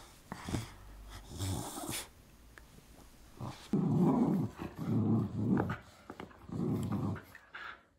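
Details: Miniature Schnauzer growling while playing tug-of-war: after a quieter opening with a few thumps and a person's brief sounds, four deep rumbling growl bursts of under a second each follow one another closely.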